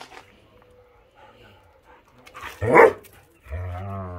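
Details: Akita Inu puppies in rough play around a yard as the warm season begins: one sharp, loud bark-like yelp, then a low rumbling growl with a steady tone, over quiet rustling.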